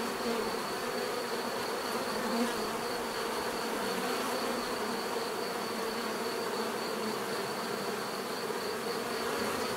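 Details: Natural buzzing of a crowd of bees, an unbroken layered hum with occasional nearer insects adding brighter wingbeat tones, over a constant thin high whine.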